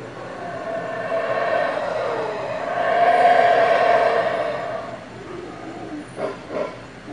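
A monkey gives a long, shrill, harmonic scream that swells and fades, then two short sharp yelps.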